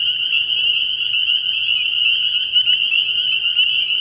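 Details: Night chorus of spring peepers at a frog pond in early spring, a solid wall of high-pitched peeping, overlapping calls wavering slightly in pitch, with no other clear sounds.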